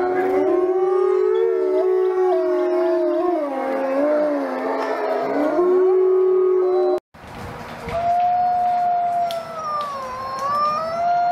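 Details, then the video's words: A pack of wolves howling, many voices blending into a dense, noisy chorus of wavering tones; after a brief cut, a clearer single howl rises and falls over background noise. "Wolf Packs Howling Compilation"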